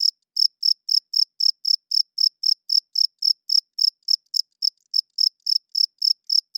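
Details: Cricket at night, a male rubbing its wings together to court females and hold territory. Short, high chirps come roughly four per second. Near the midpoint the beat stumbles briefly into a few uneven pulses, then resumes evenly.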